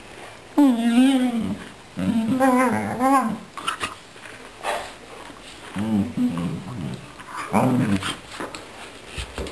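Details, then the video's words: A Finnish Lapphund makes most of the wavering, moaning 'talking' and growling while play-fighting over a ball with a Japanese Akita, a female, who briefly copies his growling. "Akita Inu and friend talking and growling during play"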